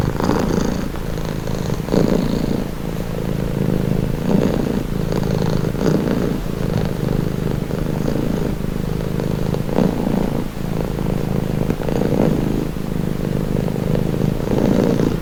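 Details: Long stretch of a house cat's low, vibrating purr, rising and falling in breath-length pulses about every one to two seconds, soft and even throughout with a quiet steady background.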